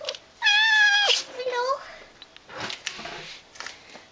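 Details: House cat being called by its carer, one of two cats in a home: a loud, steady, sustained meow, then a shorter upward-bending mew, followed by a woman's voice calling the cat over.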